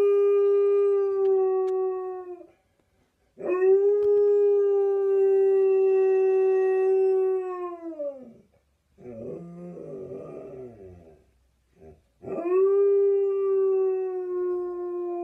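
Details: A pet Husky-Malamute mix dog "sings" to an ice cream van, giving long, steady, mid-pitched howls that sag slightly at the end.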